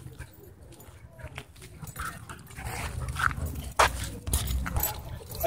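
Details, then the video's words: Playing dog at a dog park gives brief high yelps and whines, sharper and louder toward the end, amid scuffling noise, low background rumble and a person talking nearby. "Dog Park Battle Zone"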